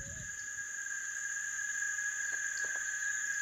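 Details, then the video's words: Cicada chorus in summer in the southern pampas, heard alongside a male Glaucous-blue Grosbeak: two unbroken, even shrill tones, one mid-high and one very high, droning continuously, with a few faint soft notes. "Un coro de chicharras también se pueden escuchar."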